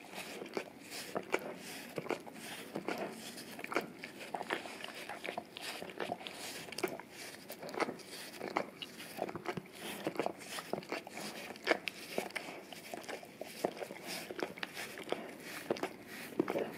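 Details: Male English cream golden retriever licking an Orapup tongue-cleaning brush coated in peanut butter and taped to a tile floor indoors, cleaning his breath and tongue; rapid wet smacking clicks, several per second, steady throughout in a small quiet room.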